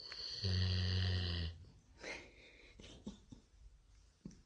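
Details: A Golden Retriever, sleeping on a Sunday morning, gives one long, buzzy, low snore, then softer breathing and snuffles.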